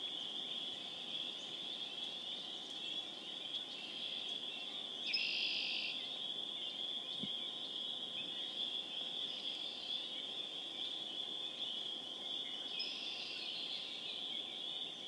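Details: Spring peepers (Pseudacris crucifer) calling in an April 27, 2011 chorus at Harvard, Massachusetts: a steady high band of shrill peeps merging into a continuous wall of sound, with brief louder bursts standing out above it.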